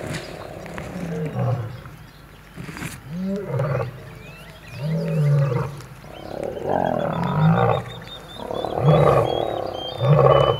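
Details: Wild lions at Kambaku River Lodge, Kruger National Park: an old male battling young males that refuse to give up their territory. Deep rasping roars and snarls rise and fall in uneven bursts, with faint bird calls behind.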